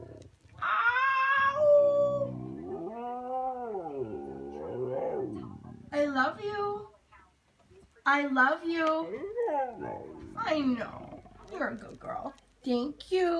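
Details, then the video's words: Khaleesi the Siberian Husky talking about going for a walk: a high sustained howl, wavering mid-pitch moans, then rapid yips and whiny bursts, with what may be a person's voice in between. "Khaleesi the talking husky"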